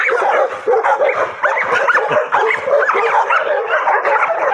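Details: Pocket American Bully meeting a bite sleeve in a playful training session, sounding rapid, shrill yips and whining barks in quick succession, loud and unbroken throughout.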